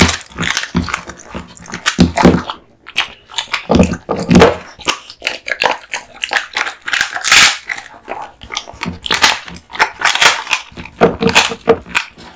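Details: Kotetsu, a male American Bully born 2016, chewing duck spine jerky indoors: dense crunching and wet biting clicks in rapid irregular bursts, with brief pauses between bites.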